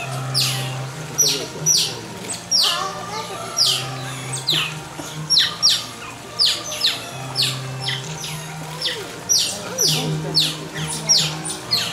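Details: Asian small-clawed otters at a zoo give shrill, high, down-slurred chirps in quick bursts, one every second or so, over a low steady hum and people talking.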